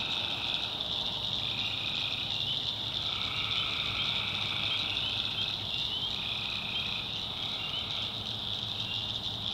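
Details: Night swamp in the North Carolina backwoods, where tree frogs give bursts of rasping trills about a second or two long, overlapping and alternating, above a steady high-pitched buzzing chorus.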